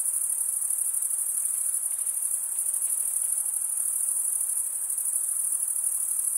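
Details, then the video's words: Crickets chirp without a break, males stridulating with their wings, in a high, piercing, rapidly pulsed trill at an even volume, with faint softer tones beneath. "Most relaxing cricket sound"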